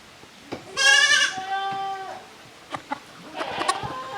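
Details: Young goat from the Koharu and Okayu kid teams at play in the exercise yard of Yoshigake goat farm, June 13, 2023; one loud, drawn-out quavering bleat that starts high and settles lower over about a second, followed by light knocks and scuffling.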